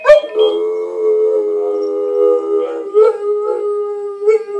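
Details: Arrow the Bulldog howls in a sustained, steady tone around a single pitch with rich harmonics, breaking into a few short wavering pulses near the end; no other sounds.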